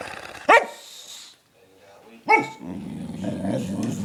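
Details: A pet dog named Lennox, wound up on a sugar high after a belVita theft, gives two abrupt high barks about two seconds apart, followed by a low, rumbling growl-like grumble.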